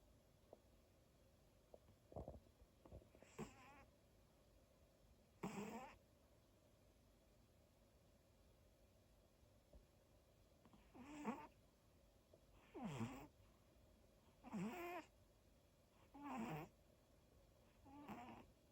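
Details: Dog snoring in its sleep: soft, breathy rasping bursts, a few scattered at first, then settling into a steady rhythm of one snore about every two seconds over a quiet background.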